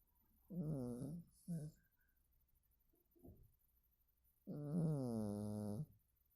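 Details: Sleeping domestic cat snoring, heard as a drawn-out droning breath, two shorter snorts and a faint puff, then another long, steady, voiced snore near the end. Nothing else is audible.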